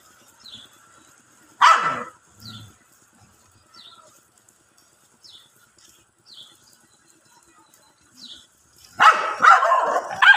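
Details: Dogs fighting and playing on grass, a loud bark followed by faint short yips spaced about a second apart, ending in a burst of rapid harsh barking.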